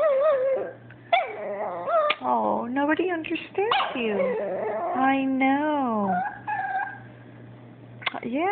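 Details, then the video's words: Chihuahua named Abbie complaining nonstop about a toy her Yorkie housemate Sebastian took; a chattering stream of yips, sliding whines and howl-like wavering notes, with a woman's voice talking back in between. "Abbie the Chihuahua Talking and Complaining...AGAIN!"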